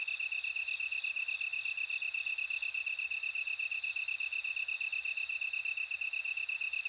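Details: Bell cricket song: clear high ringing bursts swelling roughly every one and a half seconds over a second insect's steady, rapidly pulsed lower trill that runs throughout.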